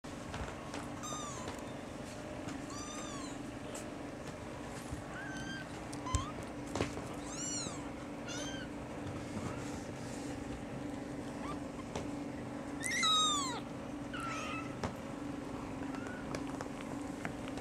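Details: Several kittens crying as they beg for milk when a person sits down, mistaking her for their mother: many thin, high, arched mews overlapping in quick succession, with a low steady hum behind.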